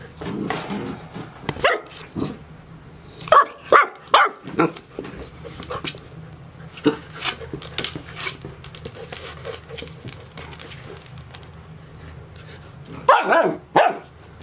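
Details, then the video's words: Golden Retriever puppies at 72 days, Chiro's litter at Ain Village, 6 July 2018: scattered high barks and yaps over fourteen seconds, clustered near the start, around the fourth second and at the end, with quieter shuffling between. "チロの子生後72日目(Golden Retriever Puppies)"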